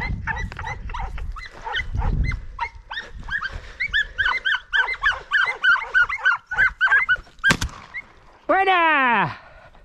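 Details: Podencos hunting rabbits during the 2023 season: a rapid, overlapping chorus of high, sharp yelping barks, several each second, then a long descending whining cry at the end.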